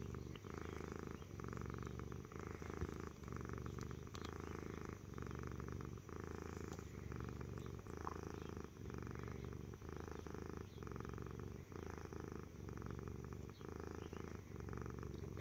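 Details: Stitch the cat keeps up a loud engine-like purr, low and steady, with regular breathing pauses about every second across the stretch.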